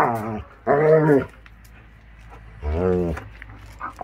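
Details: Akita Inu puppies at crazy play around the yard as the warm season begins: two drawn-out, harmonic moaning vocalizations about two seconds apart, with quiet pauses and faint rustling between them.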